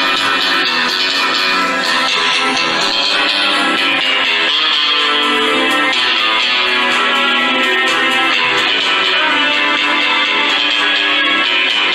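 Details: Bright strummed guitar music plays continuously at a steady loud level, with no animal sound heard.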